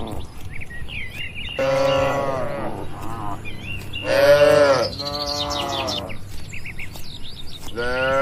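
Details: Grazing cattle wandering freely outdoors produce drawn-out, wavering moos, one louder and higher call in the middle, with scattered bird chirps and soft low rumbling of the open landscape.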